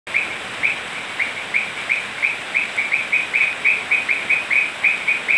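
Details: Toads calling on a rainy night in Manu National Park, Cusco, Peru: a chorus of short, bright, high-pitched notes repeated about four times per second, slightly uneven in spacing, over a steady hiss of rain.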